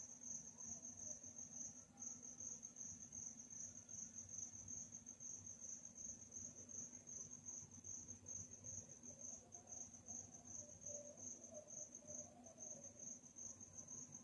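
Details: Nighttime cricket chirping, an unbroken high-pitched stream of rapid pulses lasting the whole stretch, with faint murmuring low background noise.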